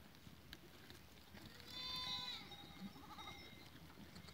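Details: Goat herd recorded 14 April 2023, one drawn-out bleat with a trembling, nasal quality swelling in the middle and fading into a short wavering tail, soft background rustle throughout.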